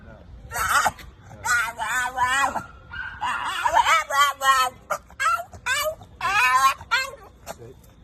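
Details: A French Bulldog, out walking with its owner, gives a run of high, squeaky whines with wavering pitch.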